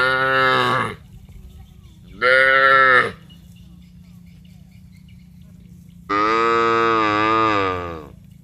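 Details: A herd of village cattle going down to the rice fields, mooing to call one another: two short, loud lows about two seconds apart, followed by a much longer, sustained moo of nearly two seconds, against a low steady hum.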